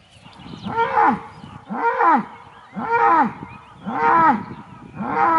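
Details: Aubrac bull calling at a farm campsite near Laguiole, France: five loud, arched moaning bellows, each about half a second long, repeated roughly once a second in a steady rhythm.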